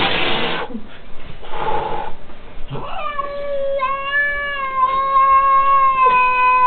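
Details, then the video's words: A domestic cat, angry and attacking its enemy, gives a sustained, steady, moaning yowl after several seconds of rustling noise. Czech speech is heard in the background. "angry cat"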